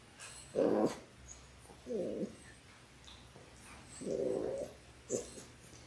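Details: Labrador Retriever puppies in their sixth week, six littermates on an indoor puppy cam: four short low whines or grumbles spaced about a second or more apart, fairly quiet against a faint steady background hum.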